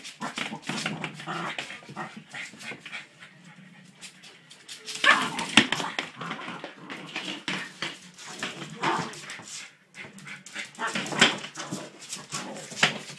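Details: Border Terrier puppy playing with a toy hamster, letting out short high yips and thin whimpers between bursts of scuffling and rustling play noise.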